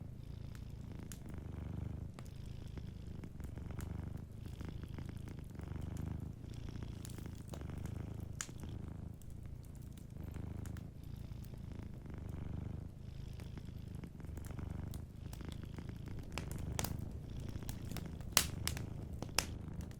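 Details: Long stretch of gentle purring from a cat sleeping by the fire: a deep continuous vibrating hum pulsing with each breath, accompanied by frequent crackles and several sharp pops near the end.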